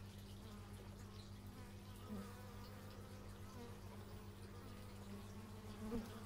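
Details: Continuous low bee buzzing, captured in stereo on an x/y microphone; layered humming tones drift up and down as insects pass, with a brief louder swell near the end.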